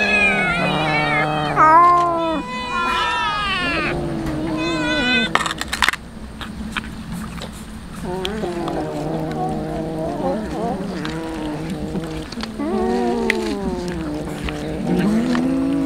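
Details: Hungry street cats being fed tuna, several overlapping meows with rising and falling harmonic contours, long drawn-out cries in bursts, clicks and handling noises between calls.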